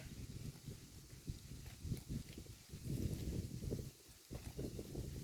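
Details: A herd of cows grazing on grass in a pasture: dull, low crunching and tearing bursts of munching come in irregular clusters, louder toward the middle, with no clear calls or other sounds.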